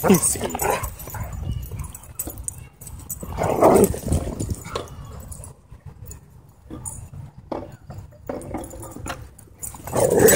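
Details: At a dog park, the excited dog Loki barks in short, uneven bursts, loudest near the middle and the end, with a person talking and quieter stretches of rustle between outbursts.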